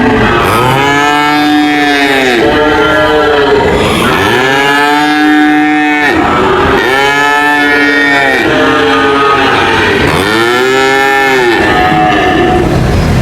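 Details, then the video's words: Cow mooing repeatedly, roughly every two to three seconds, with four or five drawn-out arched lows, each rising then falling in pitch, over a constant noisy background. "cow mooing sound"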